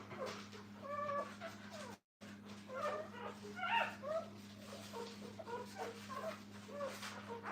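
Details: Puppies beside their mother at a kennel make a busy chorus of short, squeaky whimpers and yelps, overlapping and irregular. A brief dropout breaks it early, and a low electrical hum continues throughout.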